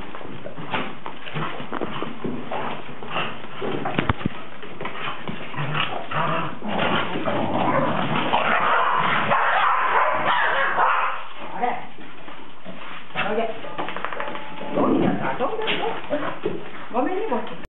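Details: Cardigan Welsh Corgi named Goro, recorded 13 November 2008, giving a steady run of short yips and whining whimpers, several per second and fairly irregular, with a noisy background throughout.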